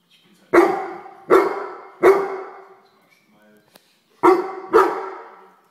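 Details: Pet Weimaraner scolding a common house fly. Three hard barks about a second apart, a brief lull with a faint click, then two more barks close together.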